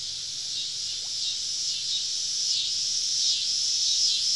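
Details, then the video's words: Cicadas in a dense summer evening chorus deep in the southern woods, heard during a camping trip, a continuous hissing buzz with several overlapping pulsing whines rising and falling; a faint low hum underneath. "Southern Evening Summer Cicada Symphony"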